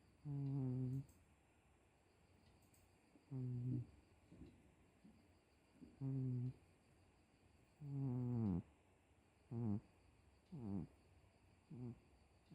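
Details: Pet cat named Miiko snoring indoors: low, humming, harmonic snores in a regular series, about every two seconds, some swelling and bending in pitch, with a faint steady hiss between breaths.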